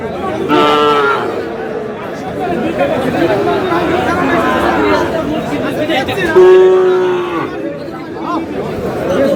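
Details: Sahiwal bull calves at a crowded cattle market on Pohela Boishakh, where a Khulna farmer is buying. Two drawn-out harmonic moos, one near the start and one about six seconds later, rise above steady crowd chatter and talking.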